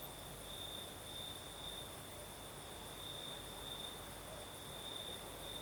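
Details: Night chorus of crickets in southern Crimea under a night breeze; an unbroken high-pitched trill with gentle swells every half second or so sits above a low, even rush of wind.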